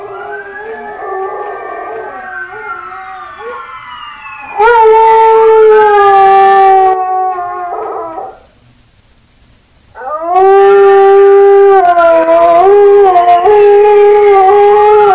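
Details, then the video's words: Buster, a dog, howls at himself: a softer wavering howl, then two long, loud, strongly harmonic howls separated by a few seconds of near silence, the last one warbling slightly. "Buster Howls at Himself Again"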